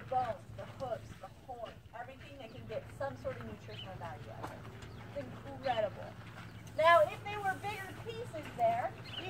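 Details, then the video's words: Spotted hyenas at Out of Africa Wildlife Park, Camp Verde, Arizona, giggle in quick, choppy bursts of rising and falling yelps while begging for meat shown by a handler. "How does a laughing hyena sound? Real laughing hyenas beg for lunch!"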